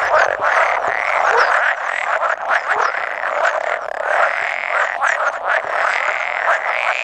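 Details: Roughly a hundred male pool frogs gathered for spawning, 16 May 2017: a steady, unbroken mass of pulsing, nasal croaks overlapping one another, now and then joined by an edible frog.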